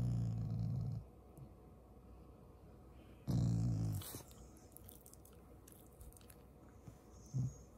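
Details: Shiba Inu giving a loving, not angry, growl toward its owners: a low rumbling growl at the start, another about three seconds later, then a short soft grumble near the end, plus a brief sharp knock.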